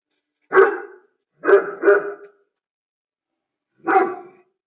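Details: German Shepherd barking: four loud, deep barks, a single one, then a quick pair, then a last one after a pause, in a quiet room.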